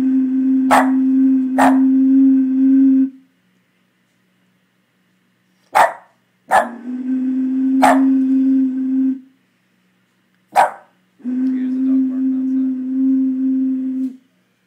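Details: A Boston Terrier that can't stand the noise of a crackling plastic bottle answers with sustained, even-pitched, droning vocal bursts a few seconds long, broken by sharp snapping crunches of the bottle.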